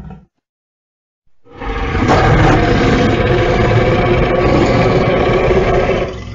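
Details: Lion roaring: after a second of silence, a deep, growling roar swells up and holds steady for about five seconds, rough and rumbling with a pulsing, throaty texture.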